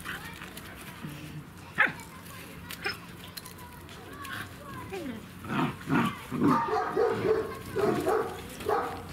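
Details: Three-month-old German Shepherd puppies in Odesa, Ukraine: short, yappy barks arrive in a loose, uneven series through the second half, after a quieter stretch with a few isolated yelps, while a person talks throughout.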